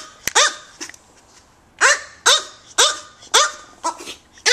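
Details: Tiny AKC micro teacup poodles Mokona and Momoko, kept in Hong Kong, yap in a string of sharp, high-pitched barks, roughly two per second, irregularly spaced, with quiet gaps between.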